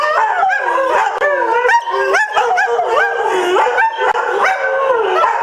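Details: Greyhound dogs howling in chorus, with overlapping sliding wails rising and falling and brief yelping notes breaking in every second or so.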